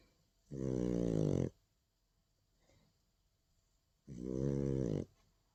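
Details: A nine-month-old female French Bulldog, recorded on 30 August 2019, snores with two loud, buzzy, rasping breaths about a second long each. The breaths come roughly three and a half seconds apart, with quiet between them.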